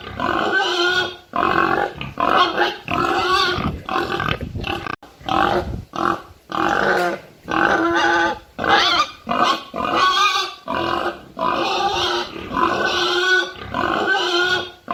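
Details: Pig giving loud, close, nasal grunts and squealing oinks in quick bursts of about a second each, with short gaps between them, running steadily throughout with no other sounds.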